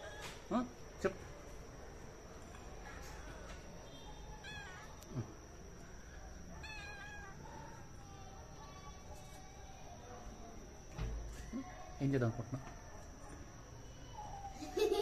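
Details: Domestic cat giving a few short, faint meows with rising then falling tones, spaced several seconds apart, amid steady background hiss, scattered clicks and knocks, and a louder thump near the end.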